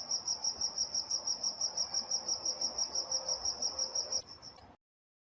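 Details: Night-time crickets in Walnut, California keep up a rapid, even high-pitched chirping, roughly three pulses per second, with faint low background hum; the chorus drops away abruptly near the end, leaving silence.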